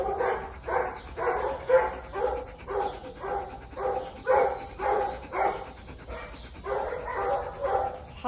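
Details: Finn, an American Pit Bull Terrier up for adoption, recorded 28 March 2022, gives a regular run of harmonic, whining yelps about twice a second, with a person talking softly nearby.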